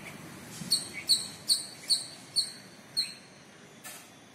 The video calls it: Squirrel calling partner video.